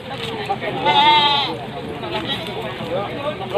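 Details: Large male goats at the crowded Wage livestock market in Panggul, Trenggalek, East Java, Indonesia, on 8 July 2019; one loud wavering, quavering bleat near the start rises above steady crowd chatter and people talking nearby.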